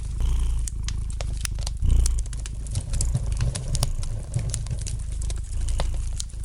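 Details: Low, steady purr of a domestic cat resting by the fire, rumbling in rhythmic breathing waves, with scattered sharp clicks and crackles of burning logs in the background.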